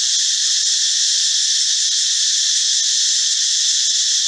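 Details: Cicada, a male producing its loud forest call with abdominal muscles, heard in the morning and sometimes at dusk: a steady, dense, high-pitched buzzing drone that holds without pause, with no other clear sounds.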